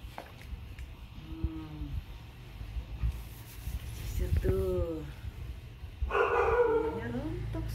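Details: Grace, a female Siberian Husky, protests while being brushed: three drawn-out, harmonic, downward-sliding cries, the last one loudest and harshest, mixed with a woman speaking Indonesian and a steady low hum indoors.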